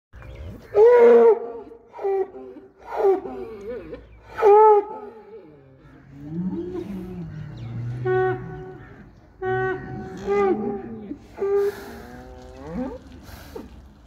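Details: A Holstein Friesian bull gives a series of short bellowing moos, each under a second, several in the first five seconds, then lower grunting calls and breathy pulses at irregular intervals.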